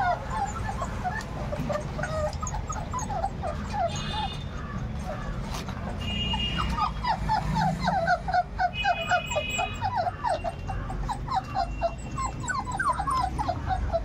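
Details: Labrador retriever puppies aged 38 days whimper and yip in rapid, overlapping bursts, several notes a second. Faint tonal music runs underneath, and the pups grow more insistent later on.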